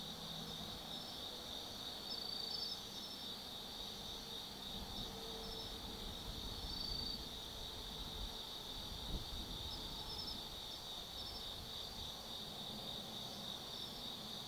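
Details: Night chorus of autumn insects at Tsukimi no Mori in Kaizu, Gifu Prefecture, Japan, recorded from an observation deck over the Nobi Plain: continuous shrill ringing trills with scattered short chirps, soft distant low rumble and one faint thump.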